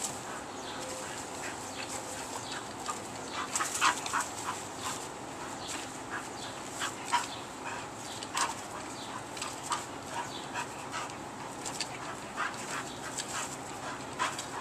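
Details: Bull Terrier. A Bull Terrier makes a run of brief, high, squeaky whines and yelping notes, coming in uneven clusters. A faint steady hiss sits in the background.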